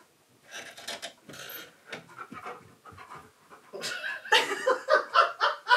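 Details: Keyush, a pet stunt dog, pants after finding his owner hiding in a giant box and digging at it indoors: quick breathy puffs, faster and louder in the last two seconds, with a person's voice talking early on.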